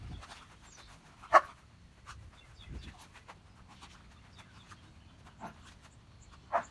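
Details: German Shepherd Odin, out in the rain hunting for a squirrel, lets out one loud abrupt bark, then a softer one near the end, with faint sniffing and rustling between them.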